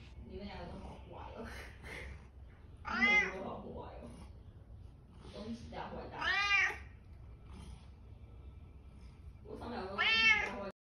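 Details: Talkative domestic cat, white, meowing loudly indoors: three long drawn-out meows with wavering harmonic tone, rising then falling, spaced about three seconds apart, with softer chirpy murmurs at the start.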